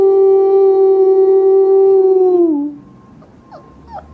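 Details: A puppy's howl held as one long, steady, clear tone for over two seconds, dropping in pitch at the end and fading into quiet with faint small sounds.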